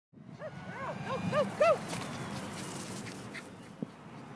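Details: A Jack Russell Terrier lure chasing gives a quick run of high, arched yipping whines over steady background noise.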